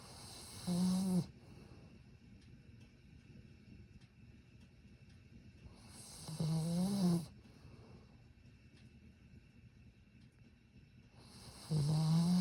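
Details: Satsuma beagle sleeping and snoring softly: three droning, low-pitched snores at about five-second intervals, each slightly rising in pitch toward its end, with a breathy hiss layered on top.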